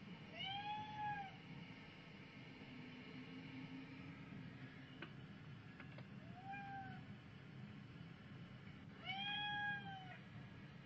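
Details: While cat videos are played to a domestic cat, three separate meows rise and fall in arched glides, the first longer, spaced a few seconds apart over a steady low rumbling background.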